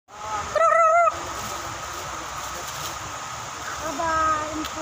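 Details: A monkey in wild forest gives a short, wavering, tonal call, followed by a fainter rising call over steady forest hiss.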